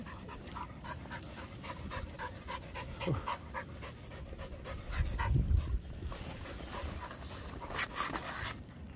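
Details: Whippets and cockerpoos let loose on a beach, playing an energetic game; quick rhythmic panting breaths repeat rapidly throughout, over a low rumble of wind and surf, with a few louder bursts of handling noise.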